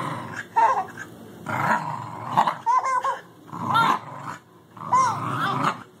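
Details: Welsh Terrier puppy growling playfully at a four-month-old baby, who enjoys it: rough, noisy growl bursts of about half a second to a second recur every second or so, broken by the baby's high, squealing laughs.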